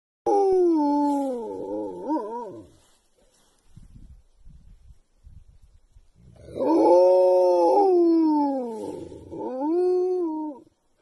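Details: A gray wolf in Montana gives long, wavering howls that slide and bend in pitch, with a pause between them.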